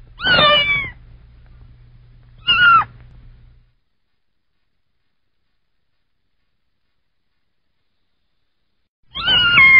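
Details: High, bright kitten meows: two close together, the first longer and wavering. Several seconds of silence follow before a third drawn-out meow begins.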